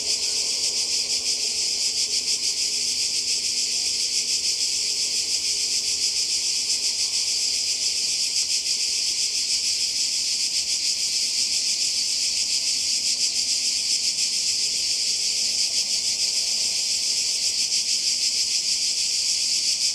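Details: Cicadas by the sea in Croatia during a 2020 summer holiday: a dense, unbroken high buzzing chorus with a fast shimmering pulse throughout, steady in loudness, with no other clear sounds.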